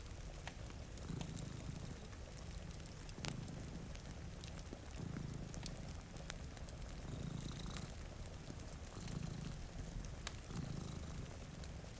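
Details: Sleeping cats by a rain-streaked window give soft, low rumbling purrs in slow swells, partly buried under fireplace pops and the constant patter of rain.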